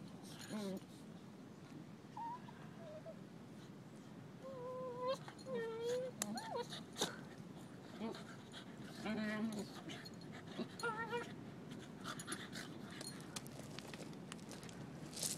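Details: Beagle mother Mango playing with her four-month-old puppies on a beach in Costa Rica; a scatter of high whines and short yips, some wavering, mixed with a few spoken words and steady background hiss.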